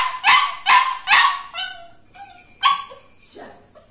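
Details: A two-month-old male Cocker Spaniel puppy in his crate gives a quick run of high, sharp barks and yips.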